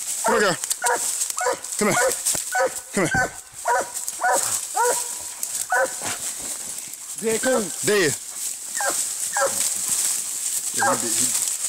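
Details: Treeing Walker Coonhound in a fight with a raccoon: dense, irregular volleys of loud barks and bawling yelps with bending pitch, nearly continuous, a constant high-pitched hiss behind.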